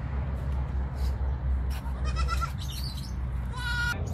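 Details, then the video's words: Pygmy goats feeding: a brief high bleat midway, then a clearer nasal bleat with stacked bright harmonics near the end, set against a steady low rumble and scattered clicks. "Adorable pigmy goats 🐐 แบะๆๆๆ... แพะน่ารักๆ"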